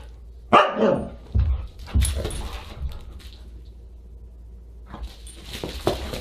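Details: Huskies at a December 27, 2022 dinner party indoors: one strong bark with a falling yelp-like tail, then shorter barks, over background clatter and low thumps.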